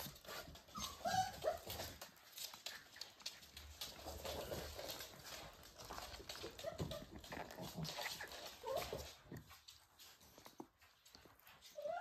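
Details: Pembroke Welsh Corgi puppies, born 31 January 2023 (five males, one female), about six weeks old in March, give short, high whimpers and squeaky yelps amid scuffling play noise.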